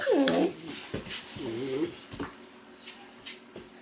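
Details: Weimaraner puppies from an Indigo and Magnum litter whimpering indoors: two wavering, whiny cries about a second apart, followed by soft clicks and quiet room noise.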